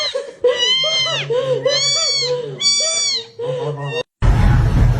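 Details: Kitten meowing in a rapid run of four short arched, wavering meows, each rising then falling, with a steady low hum beneath and a burst of noise at the end.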